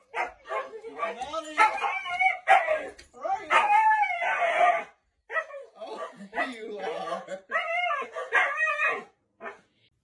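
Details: Hyperactive Siberian Husky, back inside after a 30-minute walk, makes a string of choppy, yodel-like barks and whines in quick uneven bursts, pitch bending up and down, with short pauses between. A person speaks and music plays in the background.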